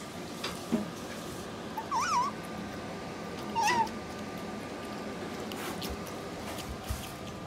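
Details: Pet otter in an indoor home setting, eating jerky wrapped in lettuce, gives two short wavering squeaky chirps a couple of seconds apart, with faint handling noises and quiet room hum.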